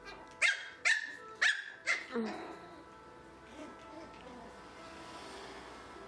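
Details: Three Pomeranian puppies meeting a jingling toy ball for the first time: five short, sharp high yaps in quick succession over the first two seconds, then quiet room hiss with a faint ringing tone.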